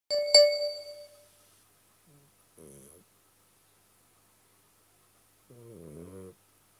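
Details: Garfield the cat snoring: a bright ding opens, then two short, low, throaty rasping breaths with a buzzy wavering tone, about three seconds apart, in a quiet room.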